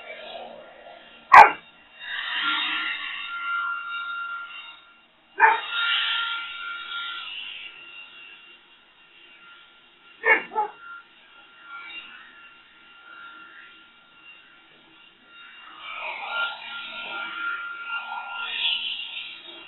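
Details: Boxer Rex confronting a leaf blower, letting out loud, abrupt barks at irregular intervals of about four to five seconds, some doubled, with the machine's whining drone between them.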